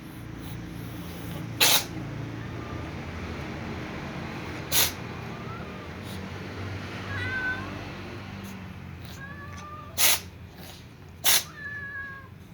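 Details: Tom cat sneezing while eating alongside a Persian cat and other cats: four short, sharp broadband bursts spread over twelve seconds, with faint thin mews between them and a steady low background hum.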